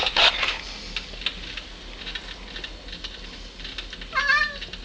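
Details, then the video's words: House cat Caleb, aka the Lubz, talking to birds, 1.25.09: scattered clicks and scraping noises at first, then one short rising-and-falling meow at the close. "my cat caleb aka the lubz talking to birds"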